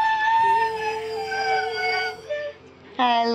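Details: A three-legged male Siberian husky, a pet with cancer, singing and talking to his owner indoors; long steady howled note that dips slightly, then a short higher yowl, with a woman's voice nearby.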